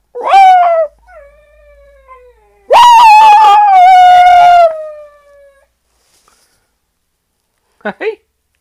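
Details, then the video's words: A West Highland White Terrier howls like a wolf: a long, clear, tonal wail that slides slightly downward, then a louder sustained howl with a wavering tone that tapers off. A pause follows, then two brief yips at the end. "Westie called Kenzie howling like a wolf"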